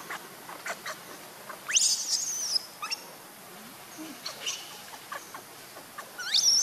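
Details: A pitiful baby monkey wanting milk lets out a harsh, high scream lasting under a second, then a sharply rising shrill squeal at the end, with scattered soft clicks and rustling between.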